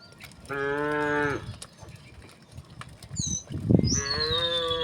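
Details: Cattle herded over a wooden bridge toward the fields give a one-second harmonic moo and a second rising one, with brief noisy rustling between them and a bird whistling in the background.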